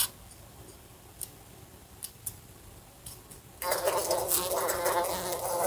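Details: Housefly in a room beside a lamp: a few faint ticks of it bumping the lamp over near silence, then the buzzing starts abruptly and continues as a steady, loud, harmonic-rich drone.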